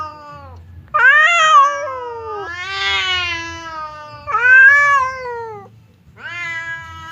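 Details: Two domestic cats, the fierce Temon and the quiet Lelo, face each other across a divider as if about to fight; drawn-out wavering yowls rise and fall in long harmonic wails, with a low steady hum beneath.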